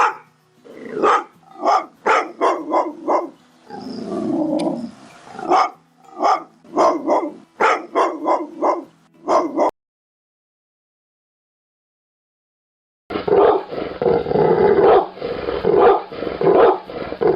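An angry pit bull barks in rapid, harsh bursts, followed after a pause by a rougher, continuous growl-like sound.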